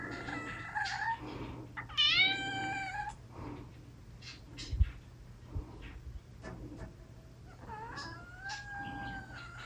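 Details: A big cat gives sweet-sounding meows. One sharp meow at the start bends up, then down. Softer, longer meows follow later, and there are scattered light thumps and a constant low electrical hum.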